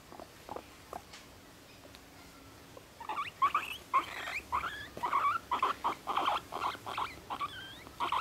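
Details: Pet guinea pig Moru-chan, one and a half years old, kept in a cage in an apartment; after quiet room noise, a fast run of short squeaky, chirping notes repeating about once a second, with harmonics, from three seconds on.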